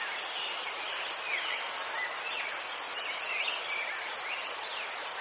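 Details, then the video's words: Soothing cricket song from Ukraine among chrysanthemums, a constant shrill trill in fast regular pulses, layered with faint, quick rising chirps from more distant insects. "Заспокійливий звук цвіркунів//The soothing sound of crickets"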